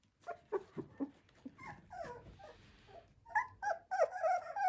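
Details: Male Flat-Coated Retriever puppy, liver in colour, whining indoors: a run of short yelping whimpers, then sliding, wavering cries that rise and fall, ending in longer insistent high whines.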